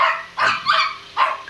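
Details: Laddu, a little pet Shih Tzu living in India, lets out three short, high-pitched barks in close succession.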